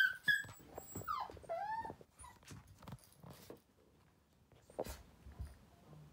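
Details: Playful young male Toy Poodle puppy that loves toys, letting out a quick run of high, falling whimpers in the first two seconds, then only soft scuffling and faint knocks.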